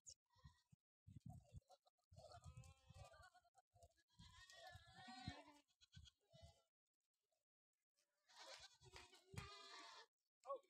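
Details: Sojat breed bucks kept on a goat farm in Dhule district, Maharashtra, being readied for Eid; wavering, harmonic bleats in three bursts, separated by gaps and handling noise, with people talking nearby.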